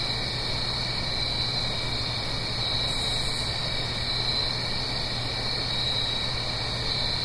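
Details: Crickets calling at night in autumn, Blue Ridge Mountains, up the hill from a gentle stream. An even, high-pitched trill runs nonstop, with a brief faint higher buzz near the middle and steady rushing noise beneath.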